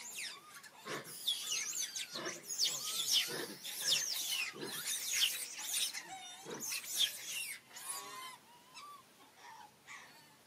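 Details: Monkeys, with Rany blocking food from little monkey Aryan: shrill, squealing cries rich in overtones, pouring out in ragged bursts roughly every second, some sliding up and down, then thinning to softer squeaks toward the end.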